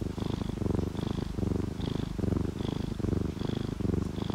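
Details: Close, loud purr of a contented sleeping cat, orange tabby or calico: a deep buzzing rumble in regular breath cycles about every half second, each with a faint high whistling wheeze.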